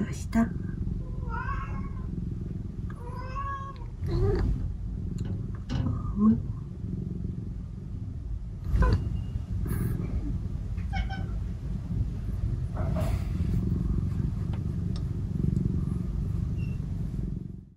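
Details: Two house cats, Omusubi and Ace, meow repeatedly one morning while craving affection; Ace constantly chatters. A series of short, rising and falling meows comes in the first half, mixed with human speech, rustling and a steady low hum.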